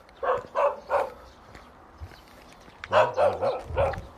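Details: Plump pet dog Tongtong, with fellow dogs nearby, barks at a novice parcel delivery driver because it wants to play. Two bursts of sharp, mid-pitched barks, three quick ones, then a pause, then four more, overlapping a man's speech outdoors.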